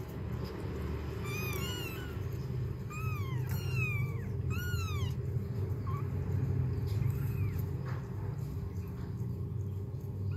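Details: Mother cat cleaning her kittens and helping them urinate; several thin high falling mews, four short bursts in the first five seconds, then one or two fainter ones, over a steady low hum.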